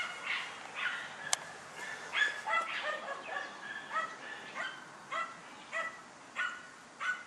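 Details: German Hunting Terrier named Dunja barking while hunting a wild boar: a string of sharp, repeated barks, roughly one or two each second, some doubled, with a brief loud click near the start.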